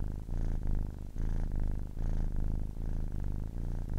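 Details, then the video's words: Ten-week-old kitten purring, a deep buzzing rumble that swells and fades with each breath, around four breath cycles in four seconds, slightly uneven in rhythm, nothing else audible. "10 weeks old kitten purring"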